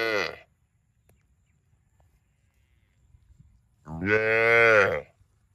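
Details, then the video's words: Tail of one cow moo at the start, then after a pause a long, loud, slightly rising and falling moo with strong harmonics. "Funny cow sound video"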